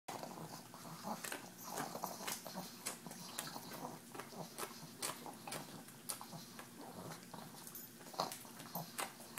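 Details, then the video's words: Tumble, a female pug, licks EZ Cheeze out of her KONG toy, making a steady stream of wet smacking, snorting and clicking noises, with sharp licks and slurps every half second or so over a low rumbling breath. "Pug Eating Noises"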